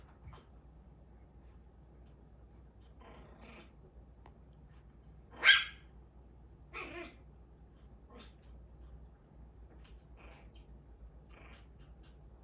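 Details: Puppy grown too big to squeeze under the sofa any longer, angry about it: one sharp, loud bark near the middle, a shorter second bark a second later, and faint scattered yips against a quiet indoor background.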